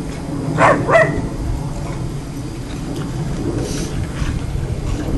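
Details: Husky pups and a schipperke pup playing outdoors after rain; two short, high, strained yelps come close together near the start, followed by quieter rustling over a steady low background rumble.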